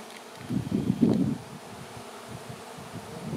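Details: Honey bee swarm in flight, bunching up on a branch ahead of being moved to a new home; a thick, low buzzing surge peaks early, then settles into a steadier, softer hum.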